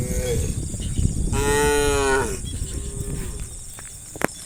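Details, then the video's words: Tame cow in a herd of hundreds running through rice fields into the forest in early morning light; one loud, long, richly harmonic moo holding steady about a second, with a fainter moo before it and constant high hiss. "Hundreds of tame cows run through the rice fields into the forest, funny cow sounds"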